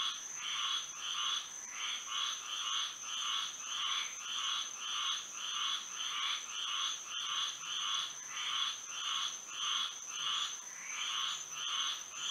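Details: Moonlit night chorus of frogs in Florida, rapid repeated croaking pulses from many frogs surging in regular waves, backed by a constant high-pitched hum.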